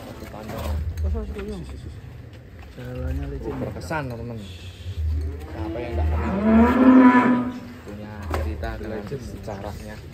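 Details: Ken Arok Bimasakti, a giant Indonesian contest cattle bound for a DKI show, gives low rumbling lows and one long, louder moo near the end, amid steady background conversation.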